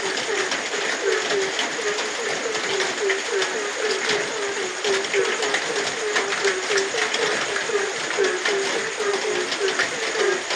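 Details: Frog calling at night in the rain: short, low, croaking notes repeated steadily about four times a second throughout, over a constant hiss of falling rain with scattered drop patters.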